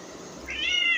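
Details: Pregnant domestic cat kept indoors gives a single short meow, a bright, slightly falling whine that starts abruptly halfway through, with quiet room background.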